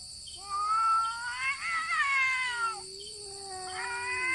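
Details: Two cats fight by voice alone, without touching: one gives high, wavering yowls while the other holds a low, drawn-out growl.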